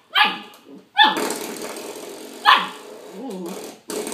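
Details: Pup fighting a doorstop: three sharp yappy barks spaced about a second apart over a continuous rattling, springy scraping noise, plus a brief soft whine.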